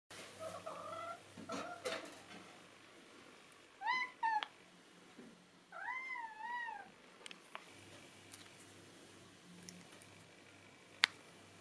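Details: Neva Masquerade cat begging for treats indoors: soft, low mewing early on, then two clear, drawn-out harmonic meows near four and six seconds, the second wavering up and down, over a faint low hum and occasional clicks.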